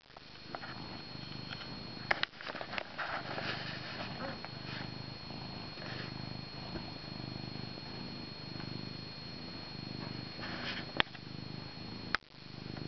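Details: Loveable house cat purring up a storm close to his owner, a continuous low throbbing rumble under scattered clicks and bumps from the camera being jerked while he plays with its strap.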